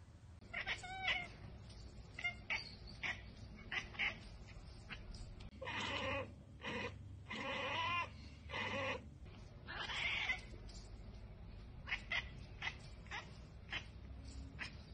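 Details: A domestic cat chattering at a bird or insect it cannot get to, a rapid run of short, clipped 'ekekek' bursts in uneven clusters across the whole stretch, with quiet pauses between volleys.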